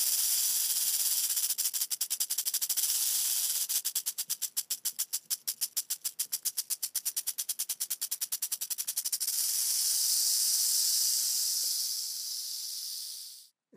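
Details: Pacific gopher snake, Pituophis catenifer catenifer, in a defensive stance mimicking a rattlesnake to scare off an intruder; rapid dry rattling pulses run for several seconds, then give way to a loud, steady, breathy hiss.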